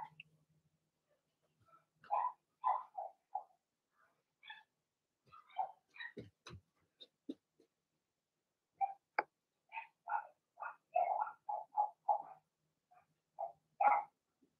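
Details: Indoor puppy pen holding six Blenheim Cavalier King Charles Spaniel puppies, two female and four male: scattered short squeaky yips and whines, some in quick bursts, with a few sharp clicks between.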